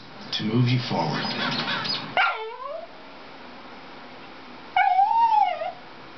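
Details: Dixie, a Dachshund, reacting while watching a Toyota chase commercial: a television announcer's voice fills the first two seconds, then a sharp yip and a high, wavering whine rising and falling, repeated once more after a pause.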